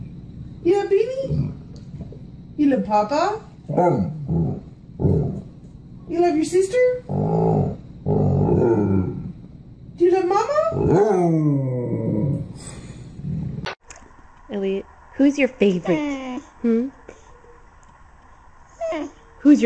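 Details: Pet dog imitating human speech, giving a run of short grumbling, growl-like vocal phrases that rise and fall in pitch, with a person speaking between them and a steady tone entering near the end.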